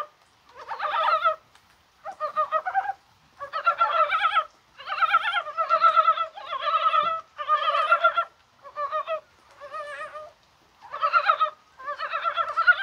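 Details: Many mountain frogs croak in January rain on a spring-like day, maybe while laying eggs. Wobbling, harmonic croaks come in steady clustered bursts roughly every second, each cluster dense with several voices, with quiet gaps between.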